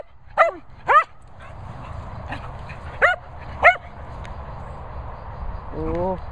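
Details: Excited Cocker Spaniel running about, giving sharp, high yelping barks in two pairs, each pair about half a second apart, over steady outdoor rumble, with a person talking and laughing nearby.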